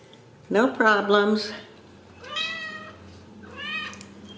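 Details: Ragdoll kittens raised in a home cattery in central Kansas give a loud, wavering meow followed by two softer, rising mews.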